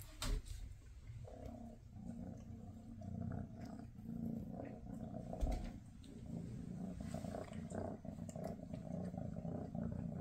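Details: Maine Coon mother Freya with her kittens on their last day together before they move to new homes; a steady, low rumbling purr runs throughout, with faint rustling and soft handling noises.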